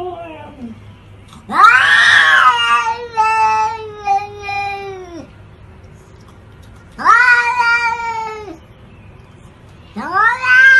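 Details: Domestic cat giving long, drawn-out harmonic meows, each rising sharply then holding a steady wavering tone for one to three seconds before dropping away, three loud calls separated by short quiet pauses.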